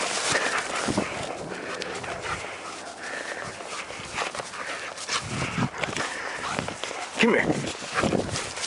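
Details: German Shepherd playing outdoors: a few short, sharp barks break through repeated spoken commands such as "here" and "come", with footsteps and rustling in the background.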